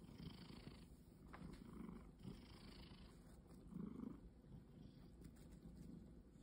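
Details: Domestic cat purring, described as having forgotten its wild nature; a soft low rumbling purr runs steadily through the clip with a few faint rustles.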